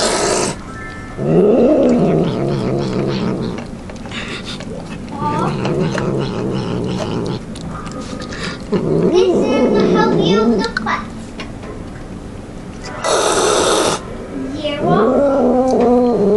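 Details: A pet cat devours its food and won't share, growling and yowling as it eats. About five drawn-out moaning growls rise and fall in pitch, broken by short noisy bursts, with people talking in the background.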